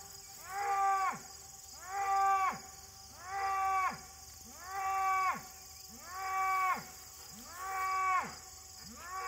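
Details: A little bull calf on August 31, 2023, white oak tree noted, calling in a very regular series of seven harmonic, arched bawls that each drop sharply at the end, with insects droning faintly behind.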